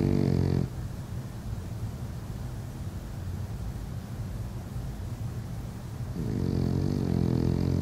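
A French Bulldog snores with deep, rough, rattling breaths, low and throaty.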